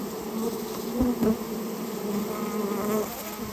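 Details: Storehouse colony of Japanese honey bees during removal, giving a dense, even buzz; louder wavering tones and a couple of soft thumps stand out early on.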